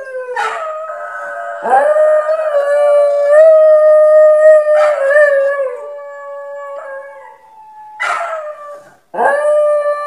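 A dog gives long, drawn-out howling notes that slide slightly in pitch, broken by short sharp yelps.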